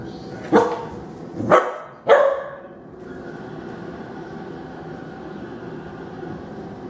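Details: Female Rottweiler puppy at home, angry and protesting at being given dry food again after a few days of canned food: three sharp, loud barks about half a second apart, followed by quiet room noise.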